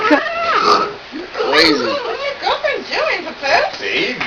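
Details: A female Jack Russell Terrier, eyes closed and concentrating, makes about six wavering, whiny grumbles in quick succession indoors, each rising and falling like a creaking door; she has never done this before.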